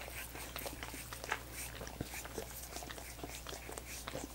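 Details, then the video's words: Popsicles made of coconut water being licked by dogs, heard as quiet moist smacks and clicks spaced unevenly, one stronger slurp early on, with a low steady hum beneath. "ASMR Dogs Licking Coconut Water Popsicles"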